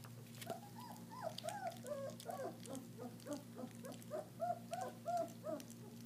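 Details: First raw-meat feeding for German Shepherd puppies, with squeaky whines repeated about three times a second, each a short curved note, some rising, some falling, over a faint electrical hum.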